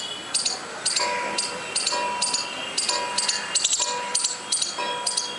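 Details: A squirrel calling without apparent reason, giving harsh, clicking bursts of chatter repeated about twice per second in a steady rhythm, with faint tonal ringing underneath in a small, quiet space.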